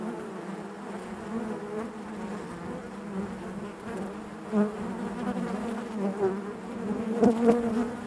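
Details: Inside a honey bee hive: a constant low-pitched collective hum with harmonic layers, mostly even, rising into a few louder buzzing bursts toward the end.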